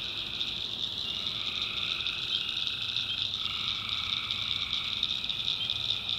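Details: Night chorus of tree frogs from a swamp in the backwoods of North Carolina. Constant high-pitched trilling runs throughout, with a long, steady lower drone that shifts pitch slightly partway through.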